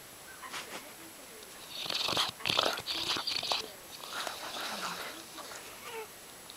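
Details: Brady, a yellow Labrador Retriever, snores loudly in his sleep: after a quiet start, a cluster of rough, rattling breaths with sharp snorting bursts, then softer wheezy exhalations trailing off.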